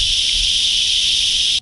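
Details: Cicadas give a steady, intense, high-pitched, unbroken buzzing drone beside a rural gravel road in remote countryside of Entre Ríos, Argentina, after rain, with dogs also around.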